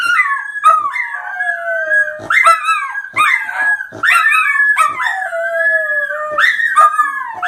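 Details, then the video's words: Dogs howling in high, yelping cries that drop in pitch and follow one another about every second, with sharp percussive knocks between the cries. "Funny Dogs Howling"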